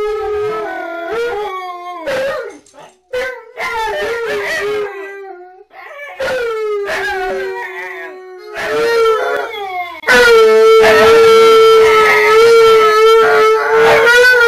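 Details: Three Siberian Huskies, Tonka and Monroe with K'eyush the Stunt Dog, singing together: sliding, drawn-out howls that rise and fall, with several voices overlapping and a louder steady howl building over the final seconds.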